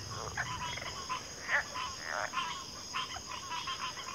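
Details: Chorusing frogs give quick rattling croaks in bunched bursts, a few louder single notes standing out, against a constant high insect drone.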